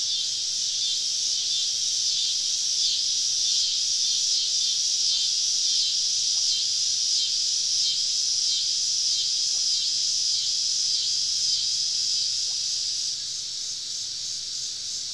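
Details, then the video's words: Southern summer evening in the woods, cicadas all around a campsite; loud high buzzing chorus with a pulsing, wavering texture roughly every second, a few faint clicks underneath, dropping slightly near the end. "Southern Evening Summer Cicada Symphony"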